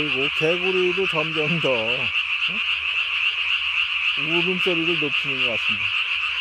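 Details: Japanese tree frog, recorded 3 May 2020 after dark, vocal sac under the chin inflated to the size of its body; fast pulsed croaking series, a pause, then another burst, with a continuous high-pitched chorus behind.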